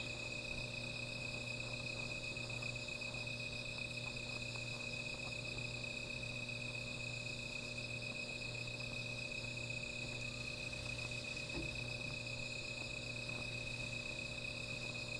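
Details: Night-time insect chorus near a small fire, an unbroken high-pitched shimmering buzz with a faint pulsing texture, a soft low hum underneath and scattered tiny ticks.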